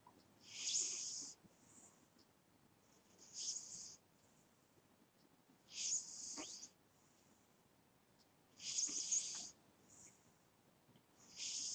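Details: A house cat asleep, snoring in steady, wheezy hisses that come roughly every two and a half seconds, five breaths in all, some with a faint squeaky edge, otherwise quiet.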